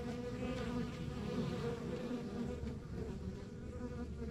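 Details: Rural backyard hive of honey bees giving a thick, unbroken buzz, low and slightly rough, with individual bees zipping past as short brighter whines inside the colony's drone.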